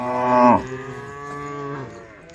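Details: A cow from a tame female group returning to the cowshed lets out a strong moo that peaks early and then trails into a long, steady, lower tone before fading out.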